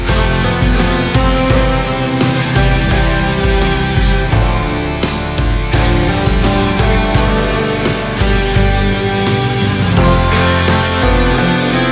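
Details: Loud rock music with driving guitar and drums fills the whole stretch, with no animal voices to be heard.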